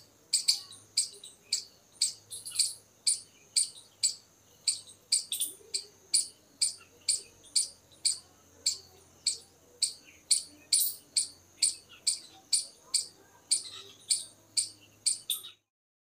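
A squirrel calls with a long series of short, sharp, high-pitched chips, roughly two each second. The rhythm stays steady throughout, with little else audible behind it.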